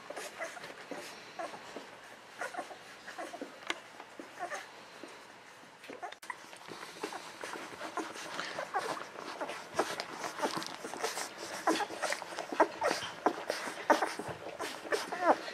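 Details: Golden Retriever babies eleven to thirteen days old, pups of Aiko of Haarby and Lady Dina, whimpering and squeaking in a rapid, irregular stream that grows busier and louder in the second half.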